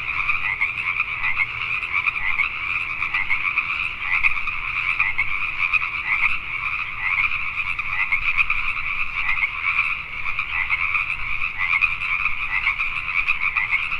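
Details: Nighttime chorus of Pacific tree frogs in Richmond, British Columbia, Canada: many frogs croaking together in a continuous, rough, mid-pitched wall of sound with small surges in loudness and a low background hum.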